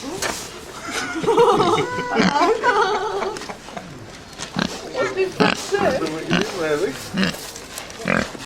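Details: Pigs snuffling and grunting at a heavy horse show, Trimpley 2010: short rough grunts repeated in quick uneven runs, some sniffing snorts, with people talking close by throughout.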